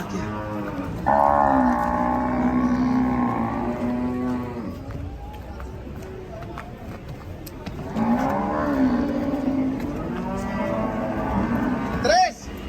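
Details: Two long, loud bellows from raging cattle, each about four seconds, deep and rough with a wavering, strained edge, separated by a quieter pause with faint background noise.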